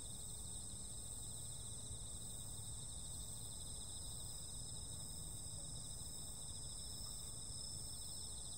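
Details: Insects on a summer night sing a constant high, pulsing trill chorus at several pitches, set against a dominant low rumble of background noise.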